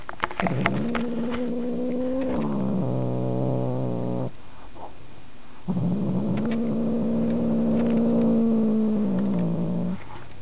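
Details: House cat Markus lets out sustained low moaning yowls, the first bending downward into a rougher growly stretch, then a pause before a second long, gently rising and falling cry.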